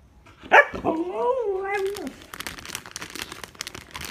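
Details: Siberian Husky begging for snacks, giving a short yip followed by a long wavering whine that rises and falls for about a second before dropping away, then rustling and faint panting.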